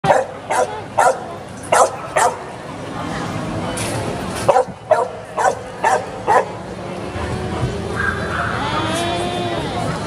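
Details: Samoyed at a giant-dog show event in Central Plaza shopping mall, Chiang Rai, Thailand, 22 June 2018; a run of sharp barks, roughly two per second in bursts, amid crowd chatter and mall noise.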